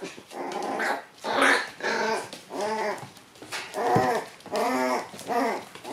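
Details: Playful Shiba Inu puppies at their daycare, biting during play. Tonal growling whines come in about seven pulsing bursts, each roughly half a second long with short gaps, in an indoor room.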